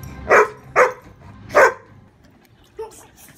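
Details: Poodle barking in a funny dog compilation: three loud, short, harsh barks within about a second and a half, followed by a faint softer yelp.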